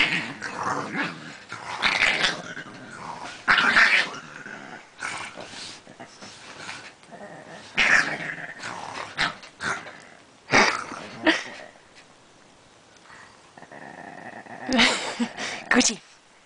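A Pekingese gives a run of throaty, growling grumbles that rise and fall like speech, broken by short yips. A person's voice can be heard urging it to keep going between its bursts.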